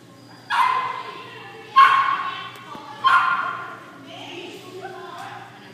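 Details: Pekingese dog giving three short, sharp barks about one and a quarter seconds apart, followed by softer sounds in a quiet room.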